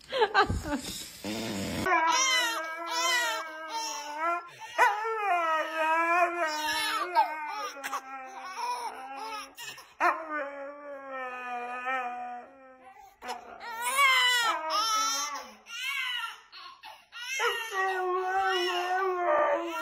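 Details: A dog howls and whines in long, wavering, tonal cries, held for several seconds at a time with short breaks, running almost continuously for about twenty seconds after a brief noisy burst at the start.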